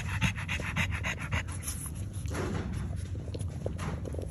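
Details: Fast, breathy panting from a French Bulldog nursing her newborn puppies, brief bursts of airy puffs over a low rumbling background.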